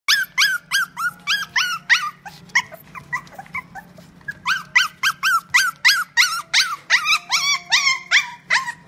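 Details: Male apricot toy poodle born 10 June 2018, kept at a pet shop, giving rapid high yelping barks with rising whine-like tones, about three a second, a brief quieter stretch midway, then the yapping resumes; low steady hum behind.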